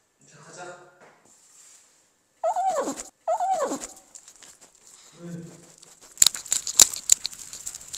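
A Shih Tzu gives two short, forceful nasal snorts that slide downward in pitch, with soft voices nearby.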